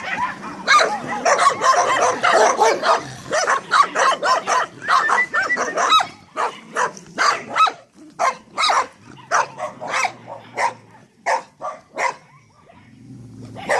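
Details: Barking Staffordshire Terriers: a loud, rapid burst of overlapping barks that thins to separate sharp barks spaced irregularly, finishing with a few softer yips.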